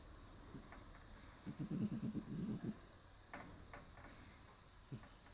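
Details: Shiro, a cat asleep atop a round stool on an early March day, snores: a cluster of low, rough, throbbing pulses lasting about a second, then a few faint clicks and soft rustles against a quiet indoor hum.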